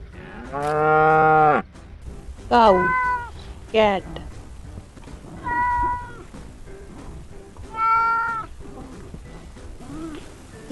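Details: Domestic cat meowing in a farm animal compilation: five drawn-out harmonic meows, the first long and steady, the others shorter with falling tails, spaced about two seconds apart over low background noise.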